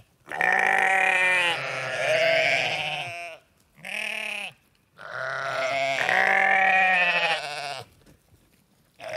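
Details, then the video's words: Farm sheep bleating loudly and at length: a long wavering baa, a short one, then another long quavering call, each rich and nasal with a strong tremble. "Sheep Sounds: Baa-rilliant Sheep Noises for Kids!"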